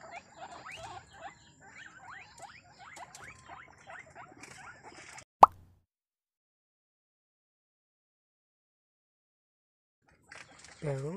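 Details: Pet guinea pigs from a home caviary in Cabugao, Ilocos Sur, make a run of soft, quick rising squeaks over about five seconds, then a sharp click, a long silence and a low rising squeal at the end.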